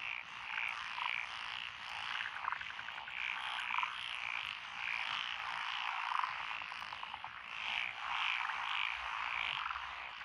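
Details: Frogs of a lotus paddy along a country lane in Echizen, Fukui Prefecture, June 2021: a shimmering chorus of quick, repeated croaks, with several nearer callers giving bright pulsed notes in bursts over the continuous din.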